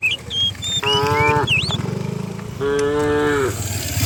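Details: Cattle herded downhill on a village morning; two steady moos about a second long each, separated by a low rapid rumbling pulse, with a few faint bird whistles.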